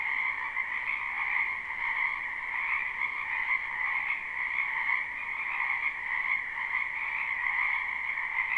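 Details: Springtime frog chorus from a wetland behind a house, a live unlooped recording: countless overlapping croaks merge into a pulsing, buzzy drone at two pitch levels, gently rising and falling in loudness.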